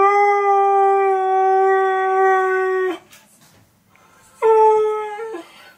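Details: Husky howling while hearing its favourite song: a long, steady, tonal howl held for about three seconds, a pause with faint background noise, then a shorter howl with a slight waver.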